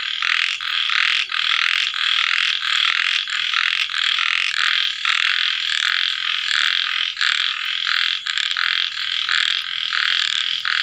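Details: Night chorus of little frogs after rainfall at sunset: continuous harsh, buzzy croaking, pulsing roughly one and a half times per second, many voices layered without pause.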